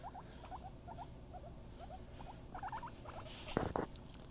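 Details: Female pet guinea pig giving a steady run of short chirping squeaks, two or three at a time, ending with a louder burst and two sharp clicks.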